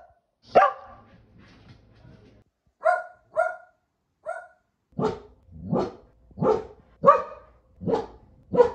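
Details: Keeshond named Kumo barking: a lone loud bark, some low murmuring, then a few lighter clipped barks and a run of six strong, rough barks at a steady pace, roughly two per second toward the end.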